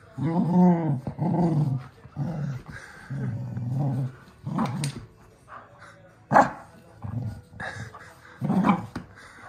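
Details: A red male cocker spaniel growls in low, rumbling half-second bursts with brief pauses while playing tug-of-war with his stuffed chicken, venting frustration after a haircut.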